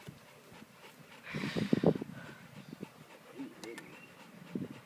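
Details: American Staffordshire Terrier at play with Elvis, a Great Dane puppy: a short cluster of low, rough growly pulses around the middle, then quieter scattered snuffles, with human speech in the background.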